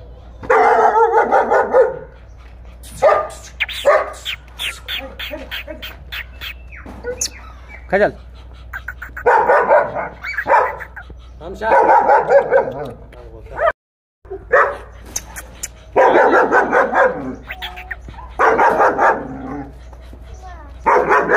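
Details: Kohati Gultair bully dog barking in loud, harsh bursts, several rough barks per burst with pauses between, some human voices faintly in the background.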